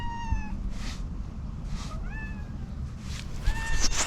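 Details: Domestic cat angry at another cat gives three short, level meows spaced about a second and a half apart, the middle one rising slightly. Rustling and a steady background hiss are heard.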